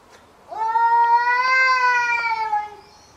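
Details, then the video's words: Domestic cat in a fight, giving one long drawn-out yowl of about two seconds, held at a steady pitch with a slight rise and fall and rich harmonics, against quiet background. "CAT FIGHTS"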